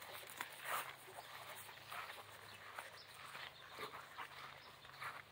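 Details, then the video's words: Central Asian shepherd dog 'talking': quiet, short grumbling vocal bursts scattered through the clip, with a person speaking nearby outdoors. "Central Asian shepherd Safar talking"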